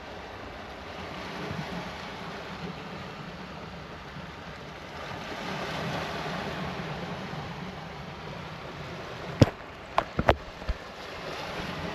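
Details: Steady rushing wind and surf-like roar fills the recording, with a few sharp clicks near the end and no animal voice.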